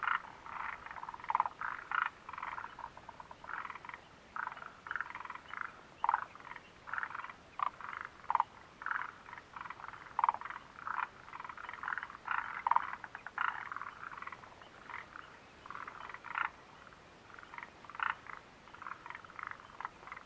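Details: Frog chorus at the Mitsuishi refuge hut on June 29, 2013: dense, continuous rattling croaks from multiple frogs, brief pulsed notes packed closely throughout with occasional louder nearby calls and no other clear sounds.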